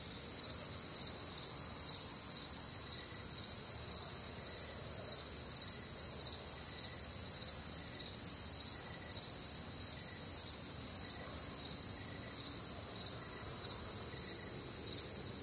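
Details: Warm, humid Midwestern summer night with a chorus of crickets: high rhythmic chirps near two per second over a steady shrill hum, plus a fainter lower chirp repeating every second or so.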